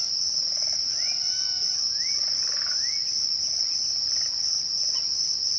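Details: A constant high trill from crickets at twilight runs through the whole recording. A few clear rising bird whistles sound near the start, then softer scattered bird notes.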